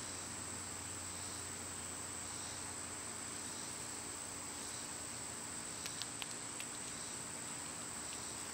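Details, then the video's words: Cicadas singing in summer, an unbroken high shrill drone with gentle pulsing, plus a cluster of short sharp clicks toward the end. "Cicada sounds"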